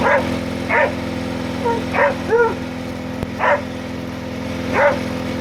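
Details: Pete, a Border Collie, barking while trying to herd a running lawn mower: five sharp barks spread over several seconds, a couple with a short tonal yelp, over a steady low engine drone.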